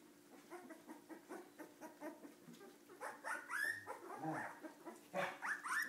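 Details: Cardigan Welsh Corgi puppies being bad give a fast run of short, high yips, about four a second, that turn into rising squeaky whines and sharp yelps in the last seconds.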